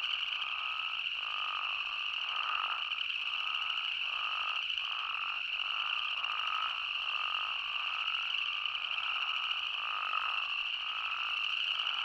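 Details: Arizona spadefoot toad chorus at night-like stillness: continuous high droning from many animals, with a stream of moderately pitched, slightly rising bleats repeating about once a second throughout.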